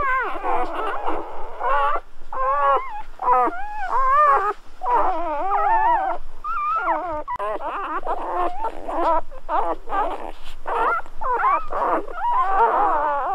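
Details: A litter of Golden Retriever puppies at birth, calling almost nonstop for over thirteen seconds: dense, overlapping, wavering squeals and whines in short bursts, pitch sliding up and down, several pups at once.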